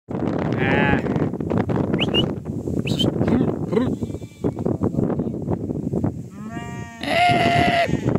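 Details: Sheep being sold on a farm. A dense din of voices and crowd noise fills the recording, with a few wavering bleats cutting through, the clearest near the end.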